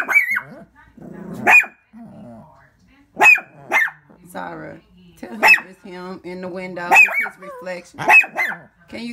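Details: Window-reflection barking by a pet Shih Tzu: high, piercing yaps repeated every second or so, overlapping a woman who keeps talking to the dog.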